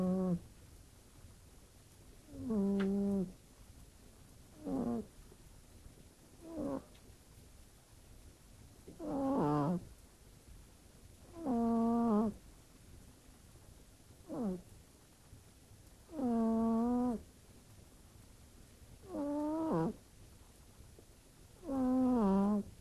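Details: Domestic cat asleep in a bedroom, snoring in a humanlike way; short tonal harmonic snores of uneven length come every two to three seconds, some rising sharply at the end, with a quiet background.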